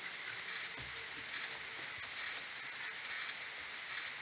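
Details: Common pipistrelles from a maternity roost, returning in the morning on 21 May, AudioMoth 1.1, played ten times slower: a fast, steady rattle of bright ticking pulses, densely packed and overlapping.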